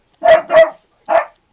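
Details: Four-month-old puppy named Sailor Bear guarding the home against the garbage man: two quick sharp barks in close succession, a short pause, then a third bark, loud and clear with no other sounds around them.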